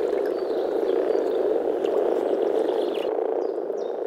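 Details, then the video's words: Frogs calling in spring at a pond or wetland in the Czech Republic: a dense, steady low croaking chorus blending into a continuous purring murmur, with faint bird chirps above, cutting off sharply near the end. "European frog calls"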